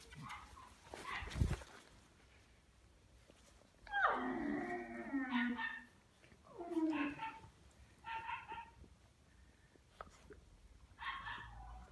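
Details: Labrador Retriever puppies giving high, whimpering whines that slide downward, two longer drawn-out cries near the middle followed by shorter yelps, with a person speaking Hungarian at the start.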